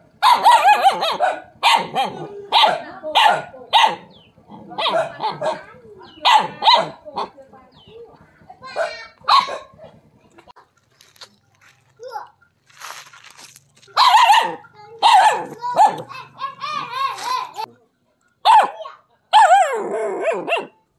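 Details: Barking dog confronting a snake, a non-venomous kind called the frog snake. Rapid bursts of harsh barks in clusters, a quieter stretch midway with softer yelps, then renewed loud barking with whining tones.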